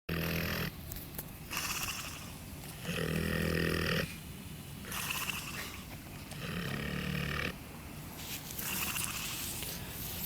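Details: Sleeping wild boar snoring in slow rhythmic cycles, each breath a rough, wheezing rasp lasting about a second or two, alternating louder and softer pulls of air.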